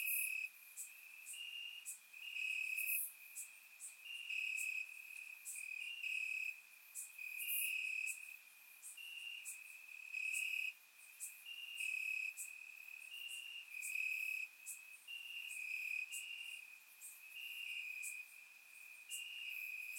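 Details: Night chorus of crickets chirping in grass, Bulgaria, warm summer night, surround recording: a constant high-pitched trill overlaid by many overlapping pulsed chirps rising and falling in loudness, with sharp high insect clicks throughout.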